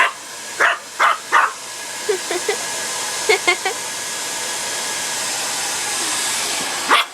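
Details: Scared of the hair dryer, young female dog Leah lets out three quick barks, then softer short yips, while the dryer's constant roaring hiss fills the room; one last bark closes the passage.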